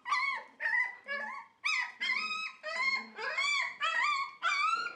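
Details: Dog at a Dutch Shiba Inu and Samoyed breeder, 4 November 2018: loud, steady, high, squealing whine-yelps, each about half a second long, repeated almost twice a second without pause.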